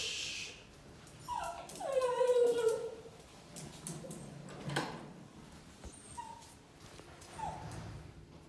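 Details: Chloe, a pet Cavalier King Charles Spaniel, whimpers in excitement at her owner's return from work: soft, thin whines gliding downward, a few short squeaks later, over steady household rustle and clatter.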